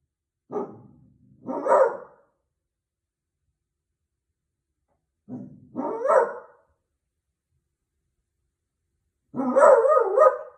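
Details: Beagle reacting to the doorbell, giving three bursts. Each opens with a short low bark and rises into a brief wavering bay, and the final bay is the loudest and longest. Long silences fall between bursts.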